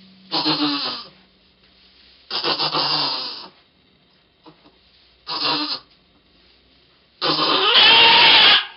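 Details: Goat named Pong giving birth to twins on 2/11/11, heard in four strained, harmonic bleating bursts about a second long, the last one rising into a loud, harsh, noisy cry.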